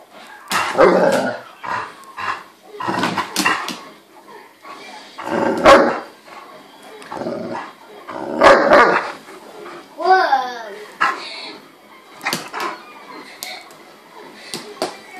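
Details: An Irish Wolfhound recorded up close gives deep, loud barks in irregular bursts roughly every one to two seconds. A brief wavering whine comes near the middle, and faint voices are heard in between.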